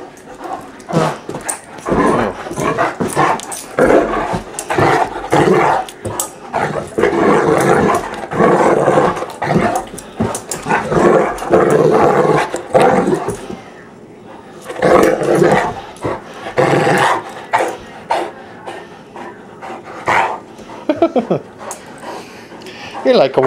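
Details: Sophia, a pet female Great Dane, being rowdy in play at home: a long run of rough, growly barks and grumbling vocalisations in dense bursts, with a brief lull midway before the noisy play resumes.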